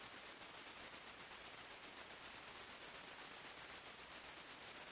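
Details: A nighttime forest cricket chorus: a quiet, piercingly high chirp repeating almost four times per second in a regular rhythm, with soft hiss underneath.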